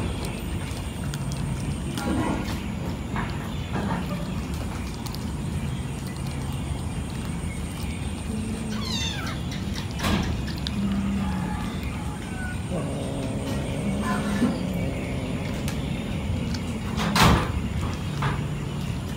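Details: Many cats eating fish at night: drawn-out low meowing tones rise over a constant loud background, with sharp clattering knocks and bursts of broadband noise scattered throughout.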